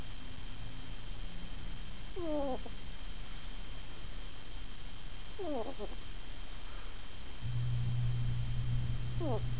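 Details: Ferret snoring while asleep, giving three brief falling whistly squeaks a few seconds apart against a constant low-pitched background drone.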